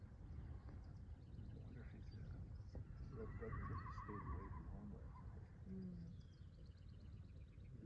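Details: Young home-bred Cleveland Bay x Morgan horse, by a Cleveland Bay sire out of a Morgan dam, gives a wavering, quavering whinny midway through, over a steady low rumble with faint voices in the background.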